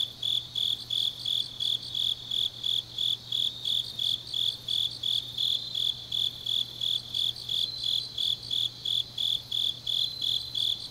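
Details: Grass insects on a deep autumn night in Changnyeong, Gyeongnam, South Korea: a dense chorus of high, ringing chirps pulsing in steady bursts about three times per second, with fainter overlapping trills above and a low constant hum beneath.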